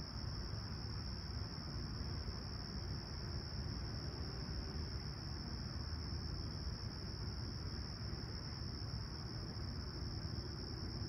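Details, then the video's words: Chirping crickets on a calm, clear Toronto summer morning at Humber Bay Shores, 28 July 2020, about 20ºC at sunrise; a constant shrill ringing tone holds without pause above a dense low-frequency roar. "Serene Summer Toronto Morning With Chirping Crickets"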